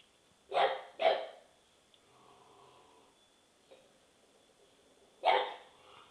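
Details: Dog's chronic, annoying barking: two quick loud barks in succession, a quiet pause with faint low sounds, then one more sharp bark after about four seconds.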